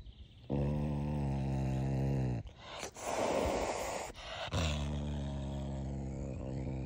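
A caracal gives deep, drawn-out groaning yowls broken by a breathy, rushing growl.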